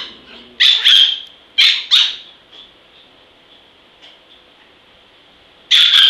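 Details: Small, vicious-tempered dog called Zen lets out a pair of shrill barks near the start, another quick double soon after, then near quiet with a faint high hum before one last sharp bark closes it.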